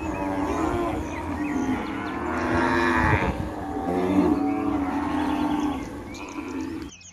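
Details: Cows grazing and mooing: drawn-out, harmonically rich lowing that swells and overlaps through most of the stretch, with a steady low background rumble.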